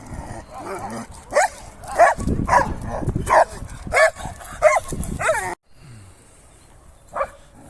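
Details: Excited male Sarplaninac shepherd puppy barking enthusiastically: a rapid run of hoarse, mid-pitched barks about every half second, with low thumping handling noise, then a pause and one final bark.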